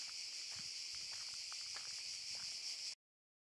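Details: Cicadas in Park Šuma Musapstan, Zadar, August 2014: a steady, dense, high-pitched shimmering buzz that holds unbroken for about three seconds, with faint soft rustles underneath.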